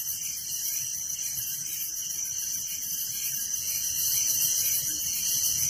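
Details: Village crickets chirping at night: a steady, high, rapidly trilling wall of sound that swells slightly toward the end, with nothing else clearly heard.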